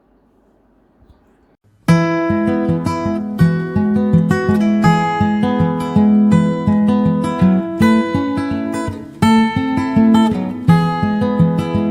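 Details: Strummed acoustic guitar music plays after a brief quiet start, with no animal sound. The chords ring steadily throughout.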